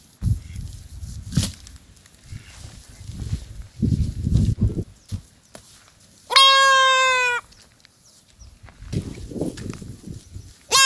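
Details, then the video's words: Goat calling with a loud, level, nasal bleat lasting about a second. A second bleat begins at the very end, with rustling and knocking handling noises between calls. "Amazing sound call goat"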